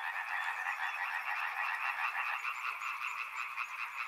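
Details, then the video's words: Frogs by a river, a dense chorus of many overlapping croaking callers forming steady pulsed bands through the whole stretch, with faint high chirps above the din. "Frog Sounds | Soothing sounds of river and frogs"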